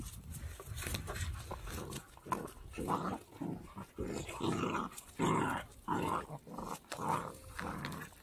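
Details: Three-month-old male Pembroke Welsh Corgi puppy, born 11 November 2021, kept near Zhukov in Kaluga region, Russia. Rough, growly bursts come in an uneven run, about one and a half per second, over a steady noisy background.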